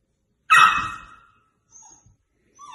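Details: Indoor pet dog asked to "speak" during a sung "If you're happy and you know it"; one loud, sharp bark that fades out, followed by faint short whimpers.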